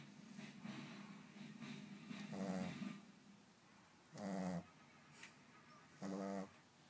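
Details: A Boston Terrier snores at night in low, rumbling breaths, each lasting about half a second.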